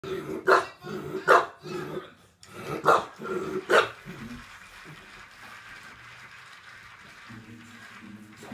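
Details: Tinkerbell, a pet bulldog, begging for marshmallows: four loud, sharp barks spaced about a second apart, then near quiet, while a person repeatedly orders her to sit.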